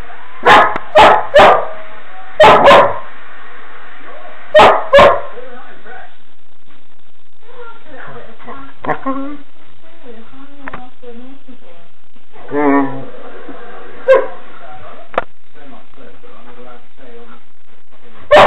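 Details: Female puppy barking at herself in a mirror: about six sharp, yappy barks in quick pairs across the first five seconds, then a person talking softly, with a few scattered yips and a final bark near the end.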